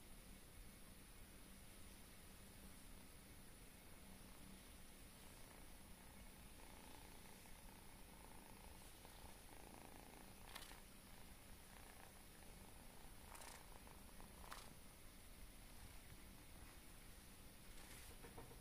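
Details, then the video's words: Kitten purring with a faint, steady low rumble throughout, very quiet, with a few soft clicks and rustles near the end. "Kitty purrs with a cute face"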